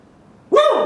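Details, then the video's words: A dog named Roka gives a single loud, harmonic-rich bark that starts abruptly after half a second of near silence, its pitch arching up and then sliding down before it is cut off. "Roka barking !!"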